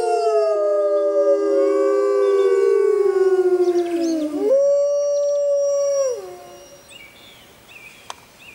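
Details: A grey wolf in the jungle howls on a full-moon night: a long, smooth howl that slowly falls, then jumps up and holds steady.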